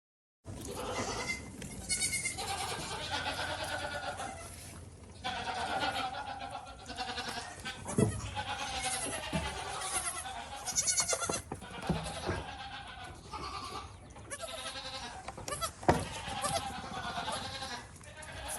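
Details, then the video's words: Goats and kids on a farm bleating almost continuously, with overlapping nasal, wavering cries of varying pitch from several animals, some loud and close, others fainter, and a general farmyard din underneath. "Som de Cabritos e Cabras - Sheep and Goat Sounds Effect"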